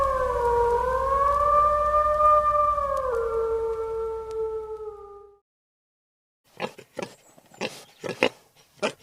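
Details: A lynx in Ukraine gives a long, wavering yowl for about five seconds that slowly sinks in pitch, then a pause and a quick run of harsh, clipped bursts.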